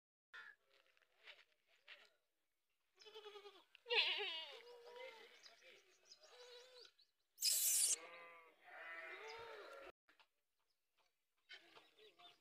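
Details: Several goats bleating in short bursts, with quavering, wavering cries; the loudest come near four and near eight seconds, separated by quieter pauses and softer calls.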